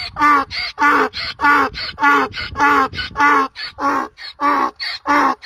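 A donkey brays in a run of harsh, rhythmic hee-haw bursts, about two each second.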